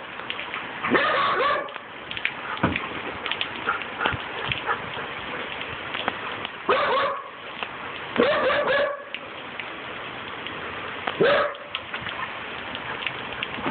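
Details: Bear, a 14-month-old male Siberian Husky nicknamed Megatron, plays with a broom. He gives four short, harmonic barks near one, seven, eight and eleven seconds over a steady scratchy, rain-like sweeping noise.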